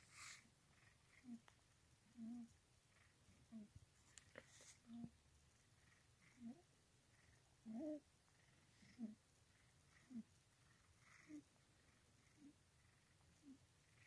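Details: Cat purring in its owner's lap indoors, a gentle low throbbing swelling with each breath about once a second for over a dozen cycles, with faint handling noises and brief rustles.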